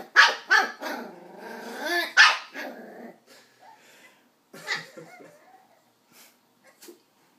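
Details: West Highland white terrier puppy, nine weeks old, yapping at an empty coke bottle: a quick burst of shrill barks with a whiny growl between them, then quieter scattered yips and faint rustling.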